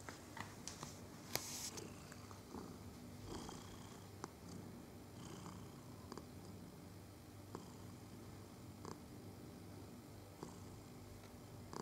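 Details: Domestic cat purring while being stroked, filmed indoors on 22 November 2018; a steady low rumbling purr runs throughout with scattered faint clicks and rustles from handling.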